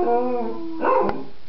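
A Cocker Spaniel holds a steady, musical howl for most of a second, its pitch wavering gently. The note then breaks into a brief, rougher burst followed by a sharp click, with a person's voice nearby.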